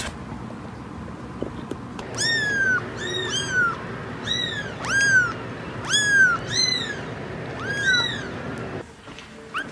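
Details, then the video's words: Kittens meowing: a run of about ten short, high, arched mews with rich overtones, coming in quick succession from about two seconds on, over a steady low background hiss. "Cats Meowing – Kittens Meowing Video – Cute Kitten Meowing Videos – Funny Cat Meows"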